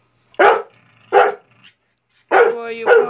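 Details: Playful barking from Ida, a dog urging her companion Izzy to play: two sharp barks followed by a longer, tonal, drawn-out bark with a howl-like edge, all loud and close.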